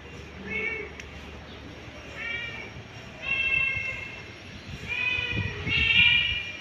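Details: Cat calls heard as a mother cat panics searching for her kittens: a run of five or six rising-falling meows, growing louder and closer together toward the end, with faint low thumps and background hiss.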